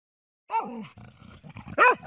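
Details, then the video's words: Dog barking in a park after being stopped for a break on a walk, voicing disappointment because he wanted to keep going: two loud, yelping barks, the first sliding downward and the second arched, with low grumbling between them. "Ozzy Barking"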